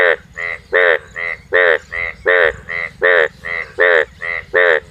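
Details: Four frogs croak in turn at night in a pond or wetland chorus, a steady run of short, nasal, pulsed calls.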